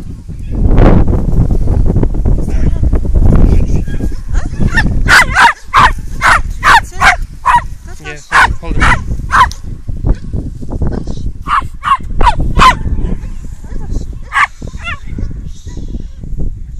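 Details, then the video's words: Eight-month-old male Welsh Terrier, normally quiet, barking frantically with his tail stuck between his legs during a sudden fearful episode, possibly caused by pain. Human speech first, then rapid sharp barks in quick bursts, about a dozen, with short pauses. "Welsh terrier gone crazy...but not in a good way"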